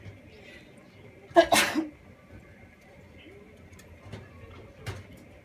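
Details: Pet chinchilla named Omatsu sneezing while eating a snack indoors: one sharp, breathy sneeze burst of about half a second, followed by a quieter trailing puff, then faint clicks and a steady low room hum.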